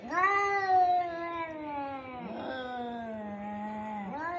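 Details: Cats fighting: a long, drawn-out wavering yowl that slowly sinks in pitch for about four seconds, breaks briefly, then swings upward again at the end.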